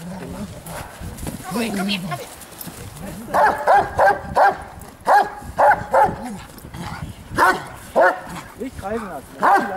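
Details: Giant Schnauzer barking in a rapid series of sharp, clipped barks from about three seconds on, after a stretch of men talking in German; speech continues between the bursts.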